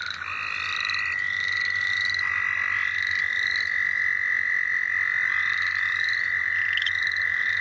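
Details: Frogs calling at St. Olaf College Natural Lands amid frog catching: a single steady, unbroken trill holds throughout. Softer, repeated rising chirps sound above it, with a low hum underneath.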